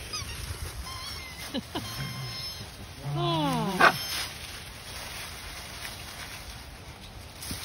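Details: Cairn Terrier puppies give short, wavering whines and one sharp yelp.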